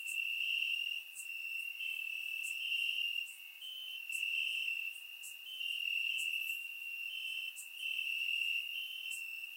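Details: Warm summer night in Bulgaria, crickets calling from the grass: continuous shrill trilling that swells and dips in long pulses, topped by sharp clicking ticks roughly once a second; surround microphone recording.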